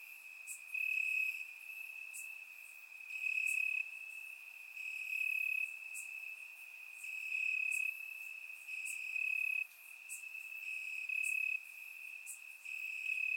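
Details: Crickets chirping in grass on a warm summer night in Bulgaria, recorded with a surround microphone: a steady high trill with brighter pulsing bursts every couple of seconds, plus faint higher clicks from other insects.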